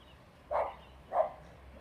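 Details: Little female dog jumping on her trampoline gives two short, sharp barks about half a second apart, each a quick burst, over a faint steady low hum.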